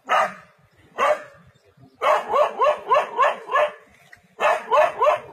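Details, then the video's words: A brave dog faces a leopard in the forest: two separate sharp barks, then a quick run of five evenly spaced barks, a pause, and another fast trio of barks. "Brave Dog Stands Ground Against Leopard in Forest"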